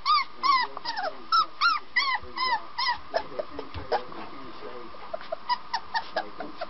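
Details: Puppies giving rapid, short, high yips, several per second. The yips begin with clear, arched notes and turn to brief, clipped chirps, with faint low thumps and rustling underneath.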